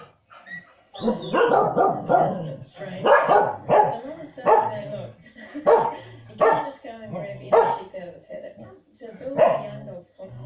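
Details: Pet corgis, two of them indoors, keep barking as on-screen dogs move livestock; a long run of harsh, uneven barks roughly every second, mixed with yelps, while a television narrator speaks underneath.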